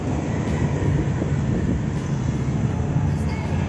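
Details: A steady, dense low rumble of a moving vehicle or train fills the recording, with faint speech-like traces and no animal calls.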